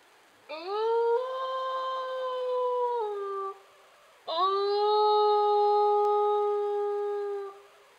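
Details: Wolves of the newly discovered Yowlumni Pack, found in summer in Sequoia National Forest, Tulare County, California, howling to communicate and locate each other; two long smooth howls, the first steady then dropping, the second rising and held level.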